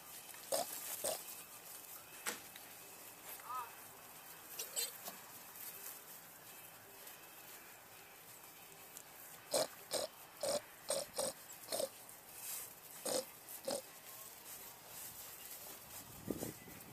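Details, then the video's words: Hungry little pigs squealing in short, nasal bursts; early calls are spaced a few seconds apart, then a rapid run of repeated squeals comes roughly every half second from ten to fourteen seconds, over clicking and rustling. "Hungry Little Pigs"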